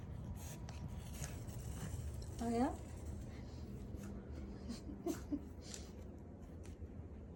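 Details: A happy French Bulldog makes a brief, rising, whiny grumble indoors while a person talks softly.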